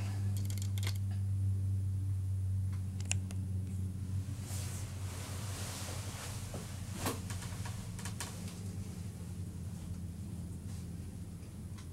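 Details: No animal voice is heard, only a steady low mechanical hum with clicks, rustles and handling noises like a camera or equipment being moved.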